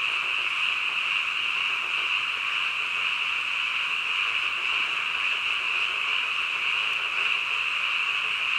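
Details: Midnight frog chorus, many callers overlapping into a continuous high buzzing trill that holds steady without pauses, with a faint low background hiss.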